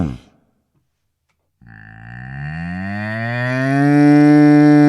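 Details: Near silence, then one cow moo begins at about 1.6 seconds, a deep, droning, harmonic call that slowly rises in pitch and grows steadily louder through to the end, with no other clear sounds.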